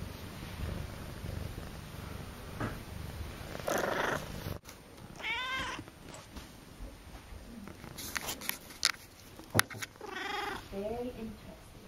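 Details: Akari, a pet cat recorded in her first two months with her owners, purrs low at first, then gives several short rising meows, the last a quick stepped trill, amid clicks and handling noises indoors.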